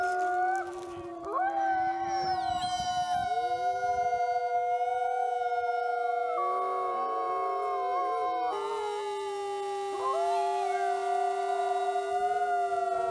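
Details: Several critically endangered Mexican gray wolves (Canis lupus baileyi), captive-bred for a conservation program, howl together from their den on a windy day in long, smooth, overlapping tones that slide and waver in pitch.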